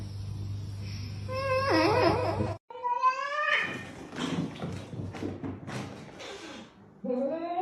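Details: Domestic cat in a funny-cats compilation, giving a run of drawn-out, wavering meows that rise and bend in pitch, with a short break in the middle and another rising meow near the end; faint background voices in a small room.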